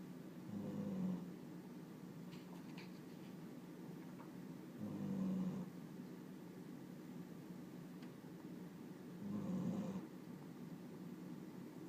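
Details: Sleeping pet dog named Riki, said to always snore like an old man, gives low rasping snores in three broad bursts, one roughly every four seconds, in a quiet indoor room.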